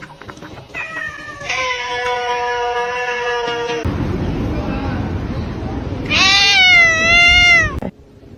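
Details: Kitten meowing: a long steady, level meow held for over two seconds, then a rushing noise, followed by a second long wavering meow that rises and falls, amid background noise.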